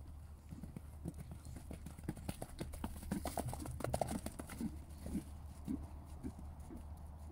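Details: Two Spanish stallions moving in a meadow: irregular dull thuds and clops of hooves, roughly two per second, over a steady low rumble, with a person talking nearby.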